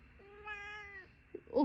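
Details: Chatty pet cat indoors giving one steady, drawn-out meow lasting about half a second at an even pitch, ending with a short burst of a person's speech.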